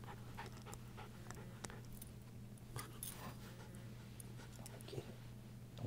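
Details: A female Miniature Schnauzer gives a low, steady rumbling growl with panting breaths while guarding her deer antler, hidden under an ottoman, as a person teases about taking it.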